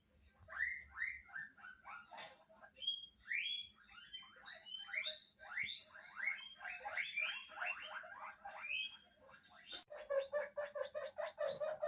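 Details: Guinea pigs kept together as pets in a Hokkaido home, around an unfamiliar guinea pig voice played from a TV: a dense stream of overlapping squeaky, wavering calls, some falling and some rising, keeping up without pause through the whole stretch.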